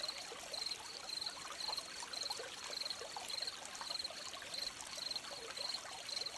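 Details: Gentle crickets beside a trickling stream: a steady series of short, high-pitched chirps, roughly two per second, about a dozen in all, over a constant wash of running and trickling water.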